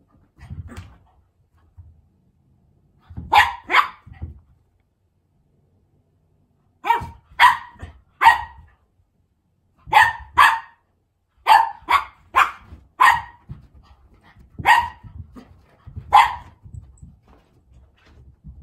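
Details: A Cavalier King Charles Spaniel gives sharp, high barks in pairs and triplets, inviting an older American Shorthair cat to play.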